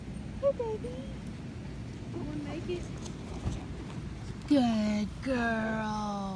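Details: Five-week-old Patterdale Terrier puppies exploring a newly built earth tunnel made from black PVC pipe. A soft early whine, then loud, drawn-out falling whimpers near the end, over a person speaking coaxing words.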